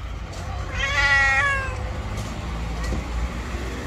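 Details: An angry, jealous white female cat gives one drawn-out meow of about a second, harmonic and slightly rising then falling, over a low steady background rumble.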